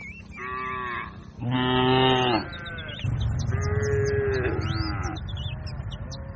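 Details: Grazing cattle herd in a wide green pasture: a series of drawn-out, harmonic moos, some short and some long and wavering, overlapping one another, with thin chirping birdsong high above throughout.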